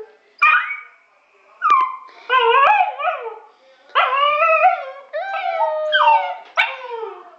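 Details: Domestic dog howling in wolf-like fashion, a series of short rising and falling yodelling howls with brief gaps, growing more continuous toward the end; a faint human voice may be present.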